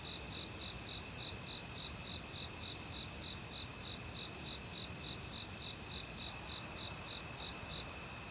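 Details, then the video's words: Autumn crickets calling in a forest in Korea, mixed with various other insects: a steady, fast pulsed trill with high ringing tones that runs without a break, over the constant rushing of a valley stream. "가을 귀뚜라미 소리"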